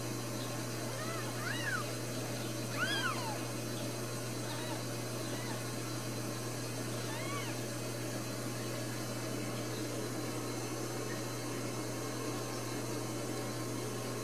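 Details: Newborn Ragdoll kittens, four brand new babies with a fourth on the way, at a home cattery in central Kansas; several thin, high arching mews rise and fall over a steady low electrical hum and room noise.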